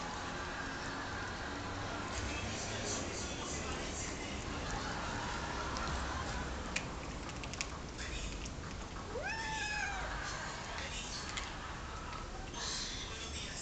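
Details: Hungry domestic cat giving a single drawn-out meow, rising then falling in pitch, near the end of a long stretch of steady hiss and low background noise, with faint clicks and knocks.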